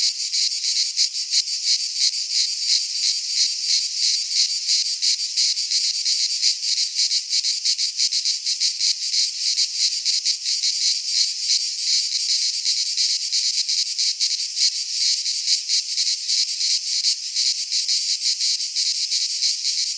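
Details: Greek pine forest cicadas in full midsummer song, a loud, bright, unrelenting buzz made of very rapid pulses, steady in volume for the whole stretch.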